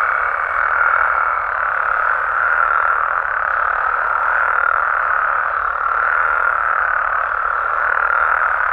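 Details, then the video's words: Dense nocturnal chorus of Mexican frogs and toads, overlapping croaks forming an even, continuous hum that gently pulses in strength throughout. "Mexican Frogs & Toads Sounds"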